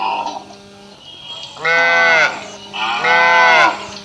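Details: Indian village cow mooing twice, each a loud harmonic, arched low call lasting about half a second to a second, separated by a pause of roughly a second, over a faint background hum.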